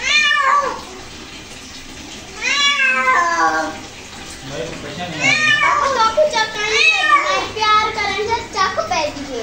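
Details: Domestic cat reacting to being bathed: loud harmonic meows and yowls, some rising then falling, several in quick succession after a pause, with water noise and possibly a person speaking in the background.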